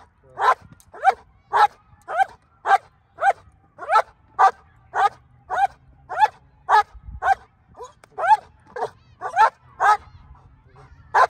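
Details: Female black German Shepherd in Colorado barking on command during hold and bark protection training, 37 days before an IGP1 trial: about twenty loud, sharp barks at a steady pace of roughly two per second, with a short gap before the last bark.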